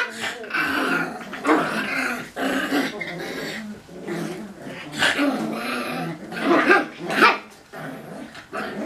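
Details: Cocker Spaniel puppies growling while playing tug-of-war indoors in a small room; continuous rough, throaty growls rising and falling in bursts, with occasional short yips and barks mixed in throughout.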